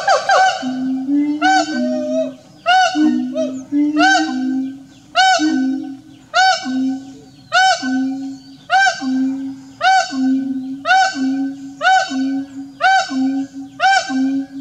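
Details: A wild siamang, an endangered tree-dwelling ape, in the Kerinci forest near Mount Kerinci, Sumatra, gives loud, harsh, honking barks about once a second with a low steady hum beneath.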